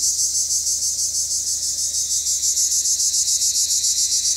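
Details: Steady, shrill rasping from Cypriot black cicadas, the high buzz throbbing in regular pulses roughly three per second throughout.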